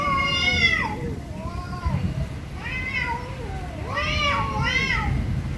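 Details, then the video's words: Very angry cats give loud, repeated meows, roughly one per second, each arching up then sliding down, with bright harmonics and some overlapping voices against low background noise. "VERY ANGRY CATS||CAT MEOWING VERY LOUDLY"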